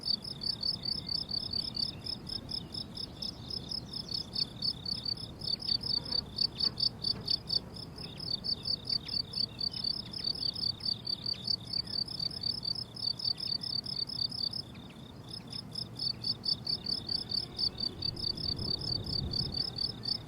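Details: Crickets on a blooming summer meadow: a steady chorus of high, pulsed chirps in rapid, even rows with a fainter shimmering layer above, continuing without a break. Only a soft low background hum sits under them.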